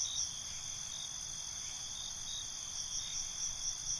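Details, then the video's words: Night-time crickets giving a constant shrill high trill, with faint pulsed chirps surfacing near the end; steady layered insect chorus and nothing else clearly heard. "Night ambience, Cricket Conversations"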